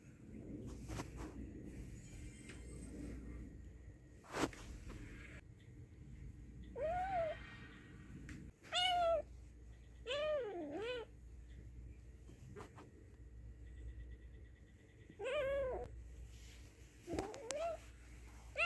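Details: Angry cat or kitten giving a series of short, rising-then-falling meows spaced a few seconds apart, fairly quiet against a steady low indoor rumble with a few sharp knocks.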